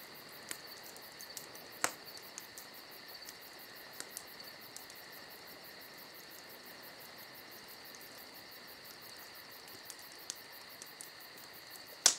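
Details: A continuous high cricket chorus on a summer night, thin and even with a fine pulsing shimmer on top. Occasional crisp pops from a crackling campfire come near the start and a loud snap at the very end.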